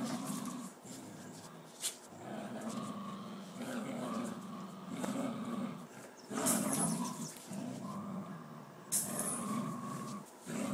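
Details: Two wild dogs fighting over a tiger: low, rough growls in repeated bursts of one to two seconds, with brief sharp clicks and rustling between them.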